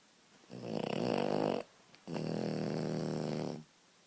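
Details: A sleeping French Bulldog puppy snores in two long, rasping breaths of about one to one and a half seconds each, a low buzzy rattle separated by a short quiet pause, indoors.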